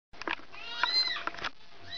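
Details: A mother cat calling because she wants her kitten back, giving a short, wavering, high meow with a rising and falling pitch, among brief clicks and a steady faint tone.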